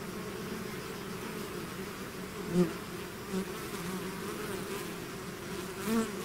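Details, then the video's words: A swarm of bees out of its hive drones steadily, with three louder buzzes as single bees pass close to the microphone, each rising briefly above the dense hum. "bees therapy swarm natural buzzing sound"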